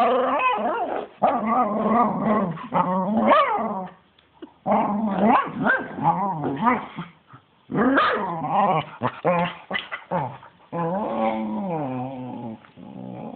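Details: Spencer, a pet dog, going wild during rough play while another dog, Lilly, tries to hump him near the end; harsh, rapid barks and growly bursts come in loud clusters separated by short pauses.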